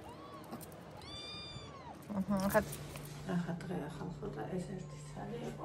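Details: Pet cat on a 21 October morning giving two arched, harmonic-rich meows in quick succession, the second longer, then a person speaking over a low steady hum.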